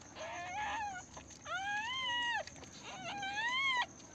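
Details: Day-old newborn Pomeranian puppies, delivered at home, cry in three long whining whimpers about a second each, arching up then dropping at the end, with a steady high-pitched hum underneath.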